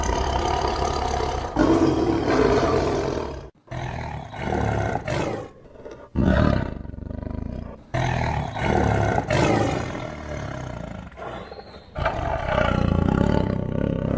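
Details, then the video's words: Roaring tiger in a series of abruptly cut segments: heavy, gravelly roars and throaty growls, each lasting one to four seconds, separated by sudden silences, strongest near the start and the closing seconds. "Awesome Tiger Voice Sound"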